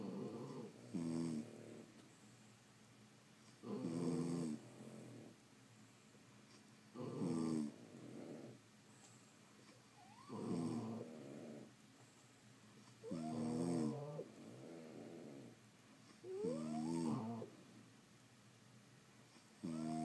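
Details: French Bulldogs sound asleep at home, each breath a loud buzzing, rattling snore repeated about every three seconds, with occasional squeaky whistling notes on the inhale.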